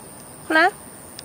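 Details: One of two cats, Fengfeng and Huangxiaomi, walked in a Beijing garden in the early morning of 13 August 2013, gives a single short meow, rising then falling, loud and clear over a quiet background.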